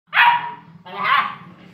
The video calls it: Jeepers Great Dane piggy Barking